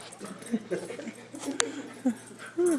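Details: Dogs playing and chasing indoors give short whimpers and yips, ending in a rising-then-falling whine, with a sharp click midway and faint human voices underneath.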